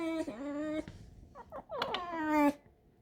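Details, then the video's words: Alice, a pet fox kept indoors, squeaks while pressing close to a person: a long steady whine, a burst of short chattering notes, then a louder sustained whine that ends abruptly, with faint room noise between. "Алиса - лиса. Кухня, лиса, скрип"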